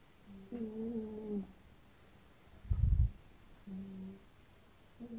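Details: Sleeping domestic cats in a snoring contest: a drawn-out whistled, harmonic snore of about a second, then a brief deep rumbling snort, then another shorter whistled breath.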